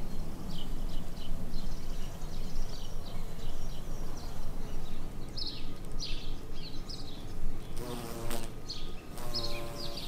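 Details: Buff-tailed bumblebee queens foraging for nectar and pollen in spring; a deep droning buzz swells in two short bursts near the end, over a steady background of chirping, twittering songbirds.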